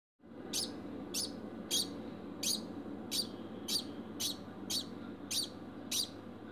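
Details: Pet degu named Bambam barking after mating: short sharp broadband chirps repeated about every half second over a steady low indoor hum.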